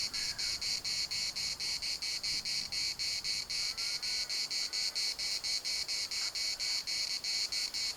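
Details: Cicada chorus at Larnaca's municipal park in Cyprus, a harsh high buzz chopped into rapid regular pulses, roughly four per second, continuing without pause; a few faint higher calls slip in behind.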